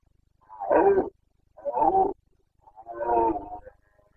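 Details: Carpathian red deer stag in the Bucovina mountains during the September 2022 rut (boncănit), giving three deep, hoarse roars about a second long, separated by short pauses, in a quiet setting.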